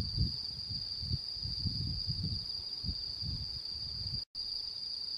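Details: Insects of autumn calling under the full moon of the mid-autumn moon-viewing night, September 10, 2022; a continuous shrill ringing tone with irregular low thumping rumbles and a brief dropout near the end.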